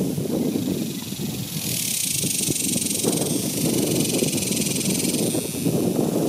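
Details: In summer 2021, a dense chorus of cicadas rises into a continuous, sizzling high electric buzz that holds without a break, over a deep, rough rumble of passing traffic.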